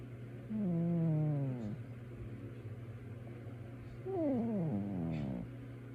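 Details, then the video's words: Male cat fast asleep indoors, producing two nasal snores: a long, low, wavering one, then a shorter one that dips sharply in pitch, with a constant low hum in the room. "My Cat is Actually SNORING!"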